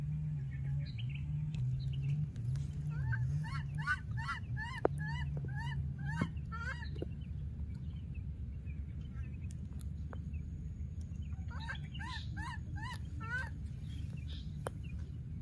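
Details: Wild baby monkey that has lost its playmate calls again and again: quick runs of short arched, tonal cries, several per second, in two bursts, over a steady low droning hum.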